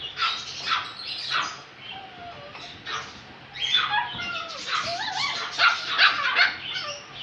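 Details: Male Yorkshire Terrier giving bursts of high, sharp barks and yips, irregular and frequent, with slightly whining tones between the louder barks.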